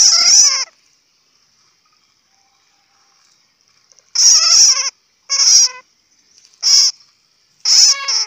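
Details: Bat calls, the Hmong name being suab puav quaj: bursts of shrill, chattering squeaks stacked in harmonics, heard as one burst, a long silence, then four short bursts about a second apart.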